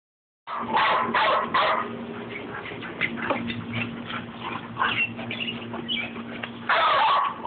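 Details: Rat Terrier Babygirl in a playful tussle with another dog, Levi: bursts of sharp yips and barks at an uneven, rapid pace, with a steady low hum underneath and a loud flurry near the end.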